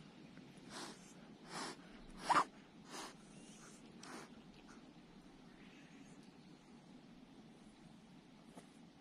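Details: A little Persian cat found at the roadside hisses at the person filming in a series of short, breathy bursts, some sharp like spits.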